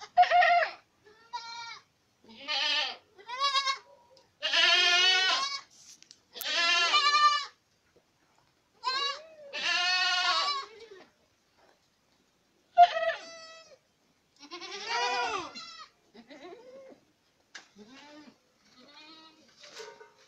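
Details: A herd of Boer goats at Acatlán de Osorio in Puebla, Mexico, bleating repeatedly in strong, shaky, harmonic calls of different pitches, loud in the first half and thinning to softer, scattered bleats later.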